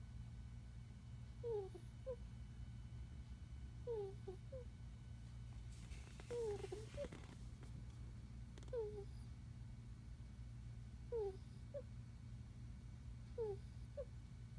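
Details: Asleep, the puppy lets out squeaky snores, paired thin downward squeals recurring about every two and a half seconds, with a brief rustle midway and a constant low hum underneath.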